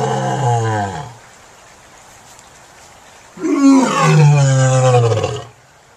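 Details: Lion. A lion roars twice: a brief, rumbling opening call, then after a pause a longer, powerful roar that swells and fades. Both are deep, rich and resonant, with nothing else heard behind them.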